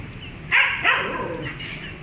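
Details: Domestic dog meeting a cat, giving two quick overlapping barks around the half-second mark that trail into a fading harmonic yelp, with faint background hiss.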